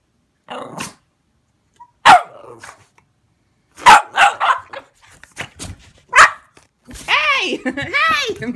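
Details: Boston Terriers give sharp barks, then a wavering, rising-and-falling howl, reacting to a fly swatter they dislike while a person talks.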